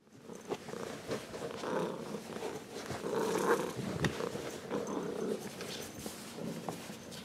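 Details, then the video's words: Ragdoll cat, grown from a kitten, purring warmly indoors: a rough rhythmic rumble swelling and fading with each breath, with soft rustles. "Ragdoll Cat Purring"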